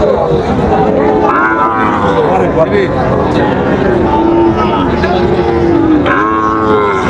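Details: Several long, wavering lows come from Sahiwal bull calves offered for sale at the start of the Raniganj market day in Dinajpur, Bangladesh, 30 September 2024. Sellers and buyers talk loudly in the background.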